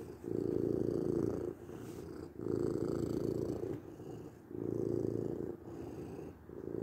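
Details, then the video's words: A domestic cat's continuous low purr, swelling into stronger rumbling phases roughly every two seconds and easing between them, with no other sounds in the background. "8 minutes of Cat Purring"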